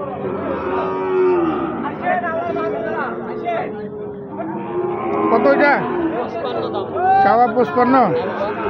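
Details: Gir and Sahiwal bull calves at Ambari haat, Bangladesh: a run of overlapping moos, some long and level, others bending upward in short rising cries, with a loud burst near seven seconds and faint market voices.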